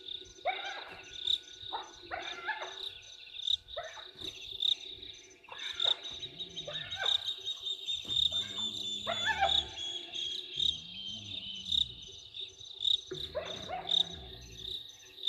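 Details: Hyenas worked up over something at Gowrie dam, Djuma Game Reserve, Sabi Sand Wildtuin, South Africa, 15 November 2023, from a live waterhole camera. Repeated yelping cries mix with low rising whoops, all over a dense shrill cricket chorus.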